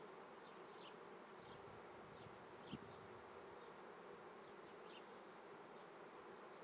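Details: Continuous low hum of honey bees at an apiary in Treviso, Italy, 9:30 am, 22 May 2010, swarming season; one sharp click near the middle and soft high chirps of birds in the background.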